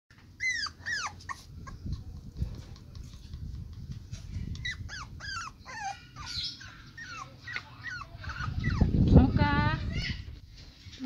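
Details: Male toy poodle puppy in the Jabodetabek area, Indonesia: a series of thin, high, wavering whines and yelps, some rising then falling, ending in a louder quavering whimper, with a person talking softly underneath.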